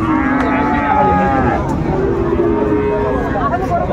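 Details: Sahiwal bull calves at a cattle market on 19 December 2024: a long, slightly rising bellow starts early and a second steadier low follows mid-clip, amid background talk from the crowd.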